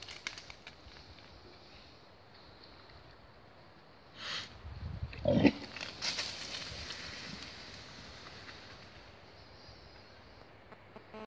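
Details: At night in the Forest of Dean, a wild boar from a sounder gives a brief, deep, rough grunt, followed by snuffling noises against a quiet background.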